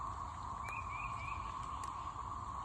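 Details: A chorus of cicadas holds a steady, even droning whine without a break on the morning of 9 May 2024, after a night of heavy rain, thunder and tornado warnings, with water dripping from the trees.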